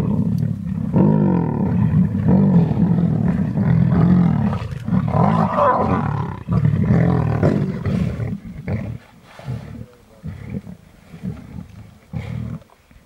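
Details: Lions of the large Munghene pride growl and snarl in deep, rumbling bursts while feeding voraciously on a young rhino bull they brought down, fighting over the food.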